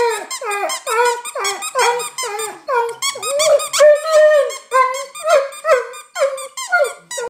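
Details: Alaskan Malamute crying: a rapid series of high, squeaky whines with rich harmonics, about two or three per second, some sliding down, a few longer wavering cries in the middle, indoors with no other clear sounds.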